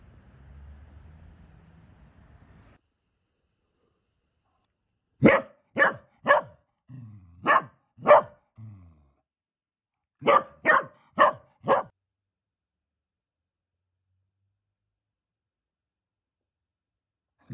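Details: Dachshund barking in sharp bursts, a run of three or four quick barks, a pause with low growly sounds, two more barks, then another quick run of four, with a faint low rumble before the barking starts.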